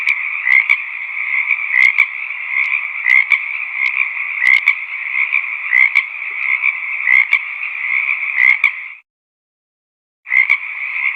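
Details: A dense chorus of frogs croaks steadily in a valley, with louder rising notes standing out about every second or so.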